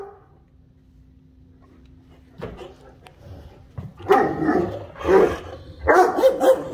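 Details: Great Danes indoors talking to each other: near silence with a faint steady hum, then rough barks and woofs building from about two and a half seconds, three loud bursts toward the end.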